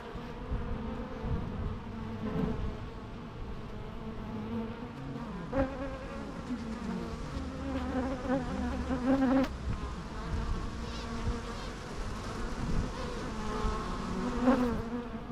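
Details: Bees hum steadily in a natural recording, several individual insects sweeping past with rising and falling buzzy tones over a constant low drone, plus occasional soft clicks.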